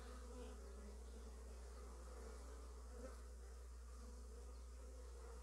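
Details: Honey bees bringing in early pollen fill the air with a steady, low droning hum from many beating wings, recorded in slow motion.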